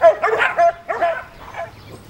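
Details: Puppies giving a quick run of high, squeaky yips and whines, three or four bursts within two seconds, each tapering off, in a quiet setting.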